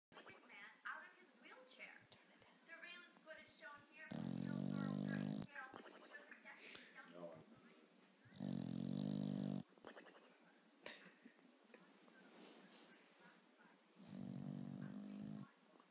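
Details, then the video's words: Bulldog asleep on a couch, snoring comically: loud, low, rattling snore bursts of about a second, spaced irregularly, with quieter breathing and rustling between them. "Snoring Bulldog"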